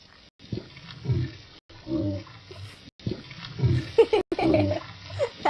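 Gray whale grunts: deep, rough, low-pitched bursts repeated about once a second, with short gaps.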